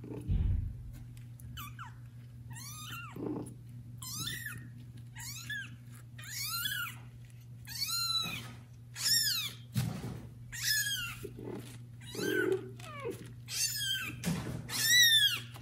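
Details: Young domestic kitten from mother cat Judy's litter of four, meowing loudly to call its mother indoors: about a dozen high, arched, harmonic mews repeated every second or so, some rising then falling, with a steady low hum beneath.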